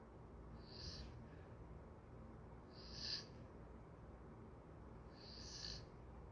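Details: Sleeping golden retriever breathing in soft whistling snores: three airy, hissy breaths rising and fading about every two seconds over a quiet low room hum.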